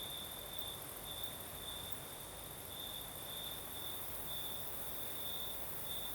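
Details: Crickets singing at night in the south of Crimea with a night breeze: a steady high chirring band pulsing in short bursts about every half second, over a broad soft hiss of breeze.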